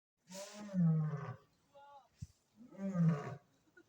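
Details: Captive lion at Maruyama Zoo, recorded 28 February 2025, giving two deep, powerful harmonic roars, each about a second long, separated by a brief quieter sound. The roars sit low and are rich in overtones.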